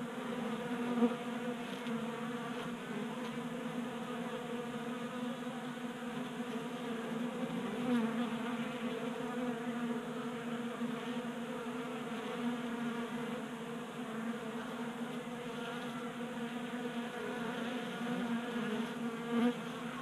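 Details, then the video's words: Honey bees gathered at a table-top 3D printed bee feeder in a Colorado garage, winter, unusually warm day; dense continuous buzzing from many wings, steady hum with slight swells over twenty seconds. "45 Minutes of Honey Bees Feasting from 3D Printed Bee Feeder"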